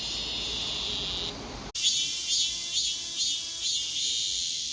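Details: Korean cicada singing while moving backward. A loud, dense high buzz with a brief drop-out, then a steady grinding drone with soft pulses repeating roughly twice a second.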